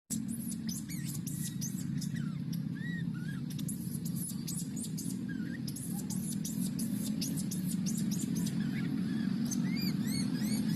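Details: Young wild monkey crying for milk: short squeaky arched cries with bright overtones, scattered through the stretch and bunching near the end, over a steady low rumble and clicking background noise.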